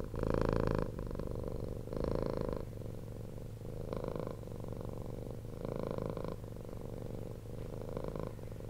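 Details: Domestic cat, rescued from the street, purring steadily: rhythmic rumbling pulses with a louder burst on each breath, about every one to two seconds, fading to softer drone between surges.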